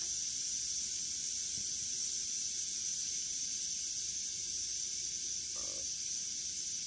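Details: Steady, high rattling buzz from a western diamondback rattlesnake while it kills a mouse, unbroken throughout, with one brief low knock near the end.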